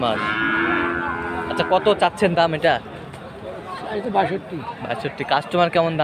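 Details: Bull calves of Friesian and cross breeds at Aftabganj market, Dinajpur, on Saturday 18 March: a long, steady lowing opens the recording, followed by bursts of human voices and crowd noise.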